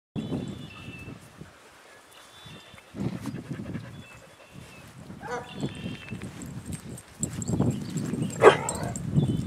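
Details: Adoptable dogs giving brief high whines and squeaky yelps at intervals, with scuffling, a person talking soothingly, and outdoor background noise.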